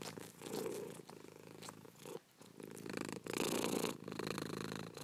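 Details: A domestic cat purring, a low rumbling vibration rising and falling with each breath, swelling loudly around the middle and again near the end after a brief quiet dip.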